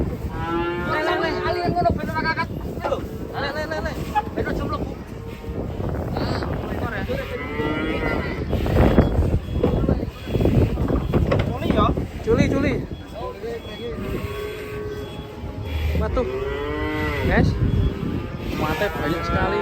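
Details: Cattle being unloaded from a truck, several drawn-out, harmonic moos rising and falling at the start, middle and end, mixed with background music, people talking and shouting, and clapping.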